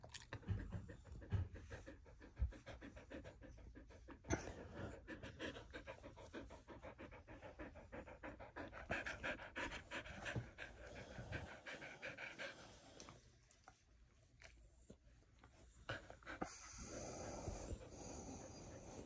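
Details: Morning panting from a Border Collie: a long run of fast, even, breathy pants, briefly pausing near the middle before resuming more loosely, with a quiet indoor background.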